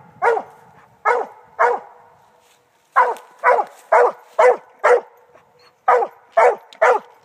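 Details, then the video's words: A Redbone Coonhound treeing gives loud, ringing barks: three spaced calls, a brief pause, then a steady run of chopped barks about two per second. "Redbone coonhound treeing"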